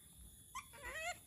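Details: A monkey gives short, high whimpering squeals that rise and fall, said to be its sound when it misses humans, with people talking nearby.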